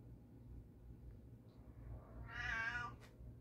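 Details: Calico house cat indoors, after a black cat took her spot on the couch, gives one short harmonic meow late in the clip against a low indoor hum.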